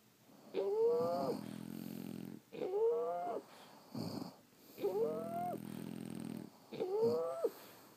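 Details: Four snoring breaths from sleeping French Bulldogs, roughly every two seconds: each opens with a sharp rising whistle, then settles into a buzzing low drone before a short silence.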